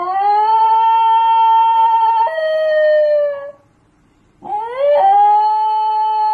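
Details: Basenji dog yodelling indoors: a long, clear, steady tonal howl that steps down in pitch midway and fades, a brief silence, then a new note sliding upward and holding steady and rich; no other sounds.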